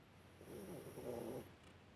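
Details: Alice, a Yorkshire Terrier dozing on a warm heating pad, gives a single soft, breathy snore lasting about one second, low rasp with a faint airy hiss.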